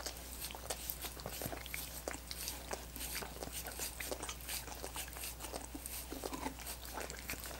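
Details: Busy licking by dogs on coconut water popsicles, heard as fast wet ticks and slurps packed closely together, sometimes crisper and crunchier, set against an unchanging low drone.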